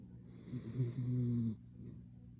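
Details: A sleeping salt-and-pepper Miniature Schnauzer snoring indoors: one low, rumbling, buzzy snore lasting under a second, rising in loudness then stopping abruptly, with quiet steady breathing noise around it.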